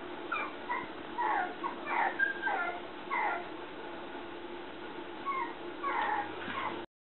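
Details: Male red Toy Poodle puppy, 54 days old, filmed on 7 April in Shiga, Japan: short, high, thin whimpering whines in quick clusters, bunched in the first three seconds and again near six, over a steady low hum.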